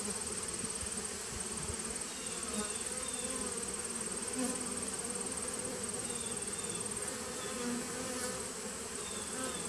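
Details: Bees of a 2017 nuc colony, recorded on 19 September 2018: a dense, steady low hum of many wings with soft brief swells, overlaid by a thin constant high-pitched whine.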